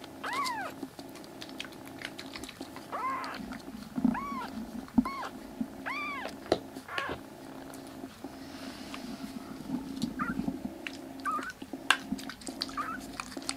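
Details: Rescued black kittens, three siblings in foster care, recovering in gut and eyes and now crying loudly while roaming a room indoors; a run of arched, rising-then-falling meows, about one a second, over a steady mechanical hum.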